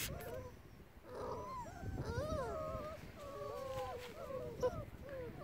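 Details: Several six-week-old male Bernese Mountain Dog puppies whine and yelp: overlapping high, wavering, bending whimpers, some rising then falling, sounding almost continuously, with a soft click near the end.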